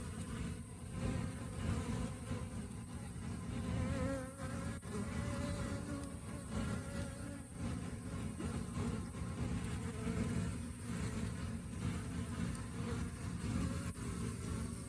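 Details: Honey bees during the rainy season, when flowers vanish and the colony relies on stored food; a dense, steady low hum of many bees continues throughout, with faint higher wavering tones and occasional clicks.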